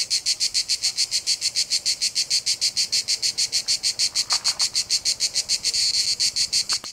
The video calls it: Cicadas Noise - Sound Effect ( Copyright free - creative commons )